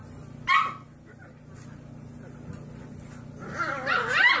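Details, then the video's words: Puppy learning to bark: one short, sharp yelping bark early on, then a rising, wavering whine-like yelp near the end, over a steady low indoor hum. "Puppies Barking - Cute Puppies Barking Compilation"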